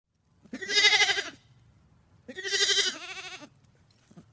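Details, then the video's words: Two loud, quavering, nasal baas from a sheep, each about a second long, with a brief gap between them and low rumbling in the background. "SOUND OF SHEEP"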